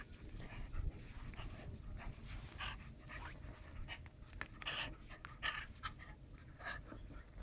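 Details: Panting German shepherd puppy, 49 days old, fighting a sleeve: a string of quick breathy huffs, some brighter and harsher, over a constant low rumble of movement.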